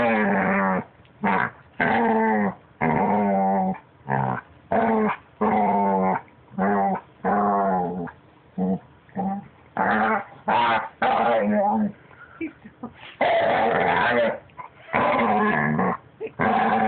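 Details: Pet puppy trying to talk or making weird noises: a rapid series of short, nasal growling yowls and whines, each under a second, broken by brief pauses, with a few longer drawn-out moans near the end.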